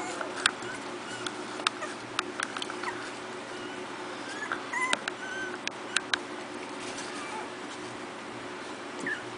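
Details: Four-week-old Miniature Pinscher puppies from a new litter at play; soft, brief high whimpers and squeaks scattered among sharp clicks and tapping, over a steady low background hiss.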